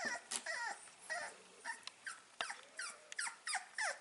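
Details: Staffordshire Bull Terrier puppies aged five weeks, filmed 16 April 2019 in a small room, give a steady stream of thin, squeaky whimpers and yips, each a quick curved whine, about three per second, with light clicks between them.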